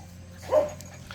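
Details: A single brief, high-pitched yip from one of Cheondori's playing puppies, rising then falling, over a faint low hum.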